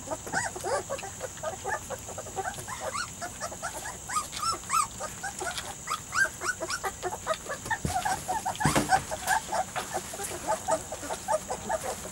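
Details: Weimaraner and Vizsla cross puppies, three to four weeks old, from a litter of Biscuit, calling together: many overlapping short arched whimpers and squeaks, rising then falling, in a continuous busy chorus with a brief louder burst near the end.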